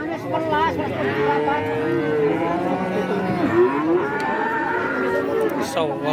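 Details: Cattle for sale at the Kajen cattle market in Pekalongan, Central Java, open Wednesdays, give repeated long moos that slide up and down and overlap, with a busy murmur of people throughout.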